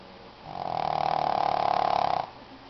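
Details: Tiki the Shih Tzu asleep, giving one loud, drawn-out rattling snore lasting about two seconds, rising in and fading out against quiet room tone.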